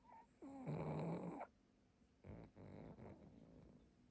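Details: A pug napping on his favourite cushion in London snores with a loud, rattling, low-pitched rasp, then softer snuffling breaths.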